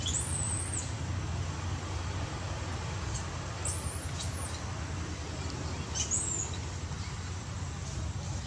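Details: Hungry baby monkey Batton demands milk from his old mother Butter, crying loudly: a few shrill, high arching wails spaced a couple of seconds apart against constant low background hum.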